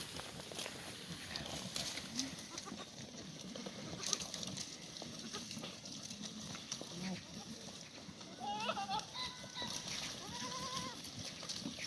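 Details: Korean black goats kept on a farm in Gimhae, South Korea, on a clear Sunday morning in late March with a cold snap. Two short wavering bleats come near the end, over steady rustling, knocking and footsteps.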